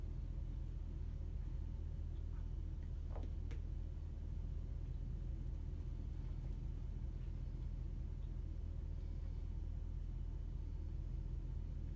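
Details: A steady low rumble like an idling engine fills the clip, with a few faint clicks and no animal voice.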